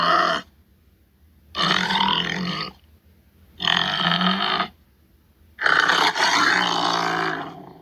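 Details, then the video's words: Tiger growls given as three long, harsh, grunting bursts of about a second each, spaced roughly two seconds apart, with a clipped burst at the start. "Som do tigre"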